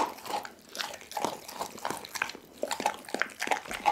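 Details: Whole chicken being eaten by Doggy, a pit bull, recorded with an Insta360 ONE R: slower wet, slurping chews and moist smacking bites spaced roughly every half second.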